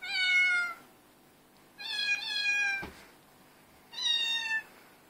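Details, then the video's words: Domestic cats in a chorus, filmed on an Android phone: three drawn-out, tonal meows spaced about two seconds apart, each slightly falling in pitch, with a brief sharp click between the second and third. "Cat chorus"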